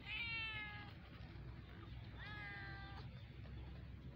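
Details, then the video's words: Kitten meows: two clear, drawn-out harmonic mews about two seconds apart, the first starting high and sliding down, over a low background hum. "Mini cute kittens baby meowing"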